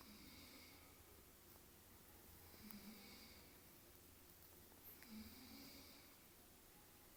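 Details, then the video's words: Dog snoring: slow, soft breaths with a hissy, rasping texture, recurring about every two and a half seconds against a quiet, steady background. "собака храпит"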